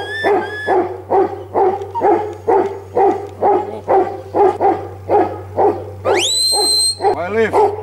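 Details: Huntaway barking rhythmically, roughly two hoarse barks per second. A long, high rising whistle cuts in near the end, followed by a few more barks over a constant low hum.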